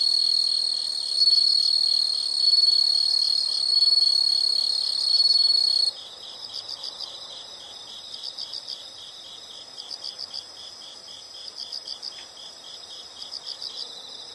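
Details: Insects in a nature recording: a loud, shrill, steady high trill with pulsing chirps for about six seconds, then it drops away to softer, rhythmic bursts of high chirps in short groups.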